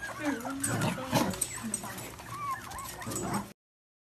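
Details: Playful Dachshund, a sausage dog, giving short, sharp yips and high whimpering whines in quick bursts over about three and a half seconds, with a human voice mixed in behind.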